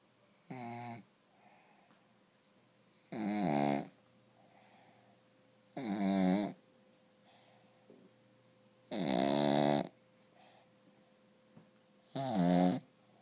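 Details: Rufus, a pet dog asleep with one eye open, snoring loudly indoors: five deep, rasping snores with rich low harmonics, one every two to three seconds, separated by quiet breathing and a faint steady hum.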